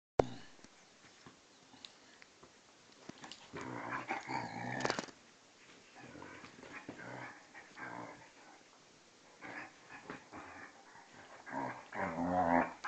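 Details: A vizsla and a pointer, two and a half and twelve years old, play fighting indoors: bursts of rough harmonic growling come in short spells between quieter stretches, with scuffling in the room.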